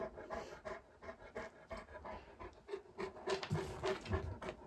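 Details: Indoor panting of Alain, a male Great Pyrenees born in 2014, puzzled by his reflection in a mirror in Mother's room; quick breathy pants, about three per second, growing louder toward the end.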